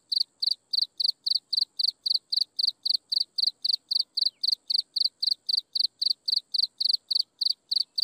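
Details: Insects chirping at sunset: steady pulsed chirps around four kilohertz repeated about four times per second, each with a bright higher overtone, over a faint continuous high whine and a quiet low background.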